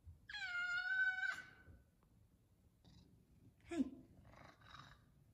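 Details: An F2 Savannah cat gives one long, steady, clear meow, asking for its chicken at feeding time.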